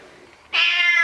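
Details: Domestic cat being washed in a bathroom, dirty before its shower; a single loud drawn-out meow with rich harmonics starts halfway through after quiet room noise.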